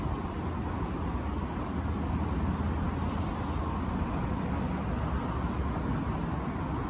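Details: A Kaempfer cicada (Platypleura kaempferi) in Tokyo, Japan, on July 6, 2022, sings in high, buzzy bursts repeated about once a second over a low rumble.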